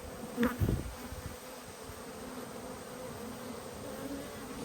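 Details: Honey bees at an open hive during a beekeeper's inspection in Australia, 19 March 2022: a steady low droning hum of many bees, with a brief burst of handling noise near the start.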